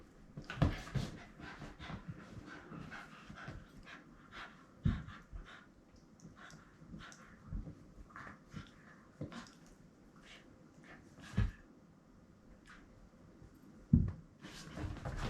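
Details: Shiba Inu Rin playing with a ball indoors, attacking it because her small mouth makes holding it hard; quick breathy panting runs throughout, broken by sharp thumps and clicks of the ball being struck.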